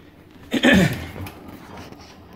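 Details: Maggie, a 13-year-old female Welsh Terrier, barks indoors because she wants her owner's dinner: one short, loud, rough bark lasting about half a second, then a quiet room with faint background hiss.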